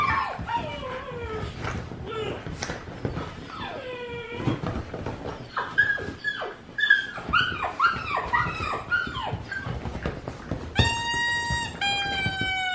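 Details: Indoors, a dog reacting to whining dogs and loud noises gives a string of sliding, arched whimpers, some climbing then dropping. It ends in a long, steady, nasal whine held for about two seconds.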